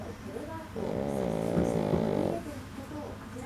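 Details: A sleeping male Pekingese, eight months old, gives a long, rattling, nasal snore, as it always does when sleeping, with faint speech in the background.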